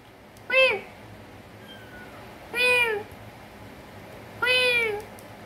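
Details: Kitten resting in the main bedroom at home, called by its owner to come and eat, answers with three high, short meows that bend downward, spaced about two seconds apart, in a quiet room.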